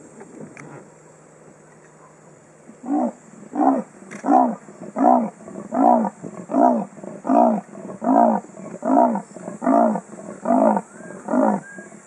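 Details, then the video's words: Male leopard calling for a mate in Kruger National Park around 5.30 pm, filmed from a car on a Sony Cybershot: after a quiet start, about a dozen hoarse, rasping sawing strokes follow steadily, roughly one every 0.7 seconds. "Leopard Calling for Mate"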